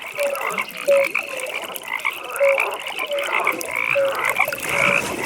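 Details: Several frogs calling at a pond in the evening, with clipped tonal croaks repeated irregularly around forty times a minute over a buzzing, trilling chorus.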